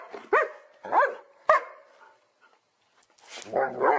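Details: Dog barking in a funny compilation: three sharp harmonic barks about half a second apart, a pause, then a longer rough bark sequence at the end.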